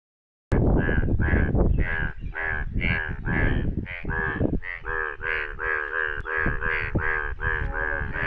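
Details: Indian bullfrogs, yellow, calling in rain in India: loud, rapid, harsh nasal croaks repeated about twice a second in a dense overlapping chorus, with rumbling low background.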